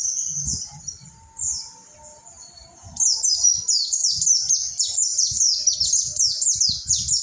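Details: Mountain white-eye in ombyokan-style training song; a few scattered high notes, then a sudden fast sequence of thin, falling whistled slurs running to the end, with faint background tones.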